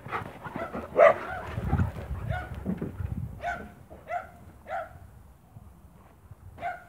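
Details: On a farm, 1 October 2017, a Spanish Mastiff gives irregular bursts of high, harmonic barks, one loud yelp near the start and then spaced single barks, with a low muffled background.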